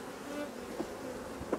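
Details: Honey bees at a hive during work on drone-laying colonies: a steady, low, droning hum with faint sustained tones, a soft knock near the middle and another toward the end.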